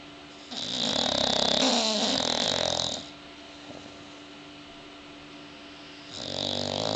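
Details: Bulldogs asleep, snoring in two loud, rasping breaths about three seconds apart in time, the first long and noisy with a fluttering rattle, then a quiet gap before the next snore begins.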